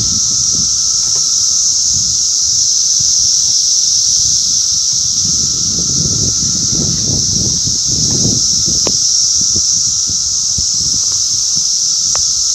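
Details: Periodical cicadas of the 2021 17-year Brood X emergence in the mid-Atlantic region give a steady, high, hissing drone that never lets up, with a fainter lower whine beneath.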